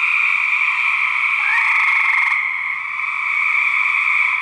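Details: Fighting male gray treefrogs recorded for research, giving steady loud pulsed trills from several overlapping frogs, with a brief rising note and a harsher burst of pulses in the middle.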